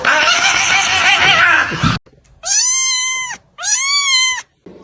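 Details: Domestic cat giving two long, drawn-out meows, each rising quickly and then holding a steady, slightly falling tone, separated by a brief pause; a burst of loud, noisy commotion precedes them.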